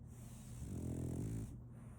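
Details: French Bulldog asleep, giving one drawn-out, deep, rattling snore that swells and fades within about a second, over a faint constant low hum.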